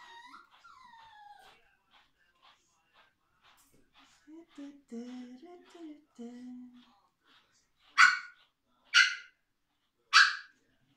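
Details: Female Biewer Terrier puppy Tuppence, being brushed before getting a microchip implanted. High, falling whimpers give way to lower drawn-out whines, then three sharp barks about a second apart close the sequence.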